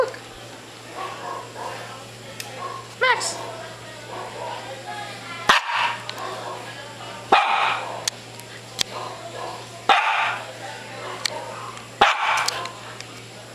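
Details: A Japanese Spitz dog barks in short, sharp bursts, about five barks spaced two to three seconds apart, while a person talks throughout, telling the dog to look and sit down, with light room hum.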